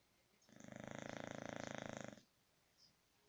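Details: A sleeping English Bulldog gives one long, rattling snore, a rough fluttering breath lasting under two seconds.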